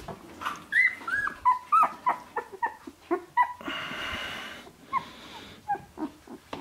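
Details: Shiba Inu puppies at sixteen days old give short, high whimpers and yelps in uneven bursts, with a brief rustling noise midway.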